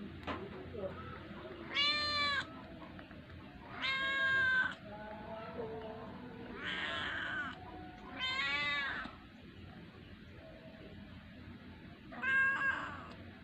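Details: Young cat begging to be fed, giving five short, bright meows spaced roughly two to four seconds apart, some rising then falling in pitch. Faint low background noise fills the gaps.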